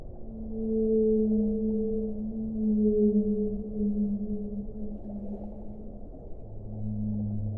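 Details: Long sustained whale moans, steady low tones drawn out for several seconds with a higher overtone above, easing off and returning near the end over a soft underwater hum.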